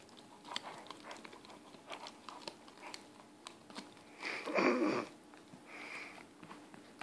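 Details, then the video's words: Haylee, a four-month-old Weimaraner puppy, gnawing on a bone: scattered sharp clicks and crunches, with a louder burst of grinding and crunching about two-thirds through, then quieter bites. "Haylee the weimaraner enjoying a bone. 4 Mths old."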